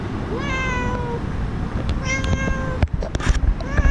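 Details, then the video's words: Stray cat at a street-cat feeding station in Korea, startled while eating as a stray dog approaches from behind: two drawn-out tonal meows, the second slightly higher, followed by clattering and rustling over steady low outdoor hum. "밥먹는 도중 뒤에서 떠돌이개가 다가와 깜놀하는 목냥이"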